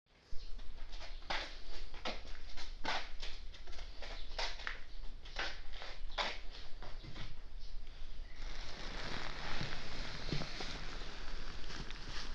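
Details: Stray calico cat that had been sleeping on a futon, sneezing nonstop after waking: a rapid run of about a dozen sharp, explosive sneezes over seven seconds, then a steady rustling hiss.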